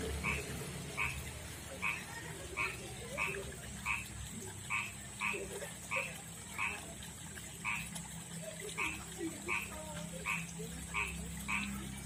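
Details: Male frog calling for a female at a backyard pond and river, a rough-skinned kind distinct from the rice-field frog; a long run of clipped, nasal croaks about once every two-thirds of a second over low hum.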